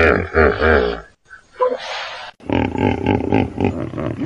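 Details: Hippopotamus roar: a deep, wobbling, harmonic honk lasting about a second, a short quiet gap with a faint squeak, then a longer run of rapid, rough, pulsing grunts to the end.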